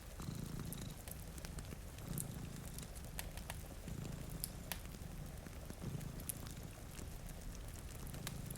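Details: Steady, deep purring pulses from two cats dozing before a rainy window repeat about every second, layered with snapping fireplace crackles and a hiss of rain.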